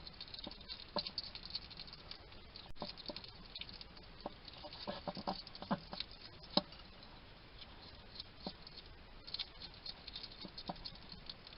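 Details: Wild male hedgehog at a garden feeding station in Somerset, UK, chatting to himself while he eats: a steady run of soft, wet clicking and smacking chews, some louder snaps standing out, with quiet background hiss.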